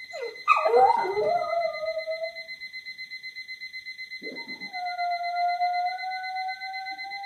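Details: Louie, a Boxer dog, howling indoors: a few yelping, broken notes, then a long smooth howl that rises slightly and holds, over a steady, rapidly beeping alarm clock throughout.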